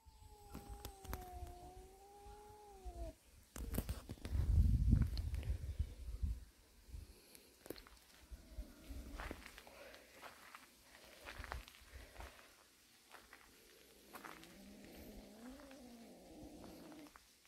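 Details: Cat from a warehouse cat family, mother and kittens resting; a drawn-out, slightly falling meow in the first three seconds, then rustling and thumps, with a second wavering, moaning meow near the end.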